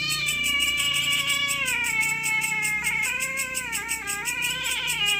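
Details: Cats quarrelling over territory at night, heard as a continuous low-level moaning wail that bends slowly up and down in pitch, backed by steady rapid high-pitched chirping.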